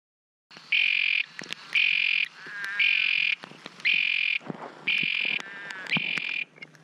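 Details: Texas toad calling outside Pearsall, Texas: a series of loud, steady, high-pitched trills, each about half a second long, repeated roughly once a second, with short quiet gaps and faint background noise.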